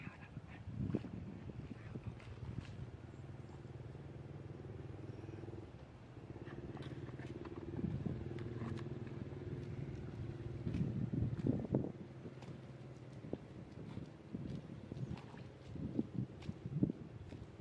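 Deep, drawn-out buffalo moans rumble low and steady, rising into a louder groaning bellow near the end.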